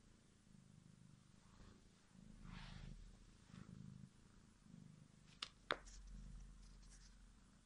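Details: Soft rhythmic purring of domestic kitten Bodza, a low throbbing rumble pulsing with each breath, interrupted by a rustle and two sharp taps or clicks late in the recording.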